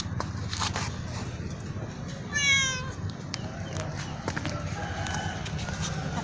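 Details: Black cat meowing loudly: a single bright, harmonic-rich meow lasting about half a second, rising then sliding down, standing out over steady low road-traffic rumble and scattered clicks.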